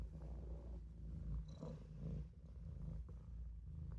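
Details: Olof, a Maine Coon, purrs while napping in the sink: a continuous deep vibrating hum that swells and dips with each breath, with a faint brief rustle midway.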